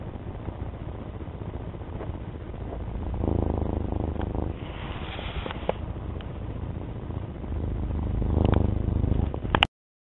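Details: Domestic cat giving a continuous low purr with fast fine pulsing. Breathy swells rise around the third to fourth second and again near the eighth, then a brief scrape and sharp click come just before the sound cuts to silence.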